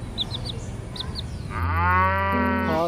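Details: A cow lets out a long, loud, deep moo rich in harmonics, starting about halfway through and holding steady. Before it come faint high chirps over a low rumbling background.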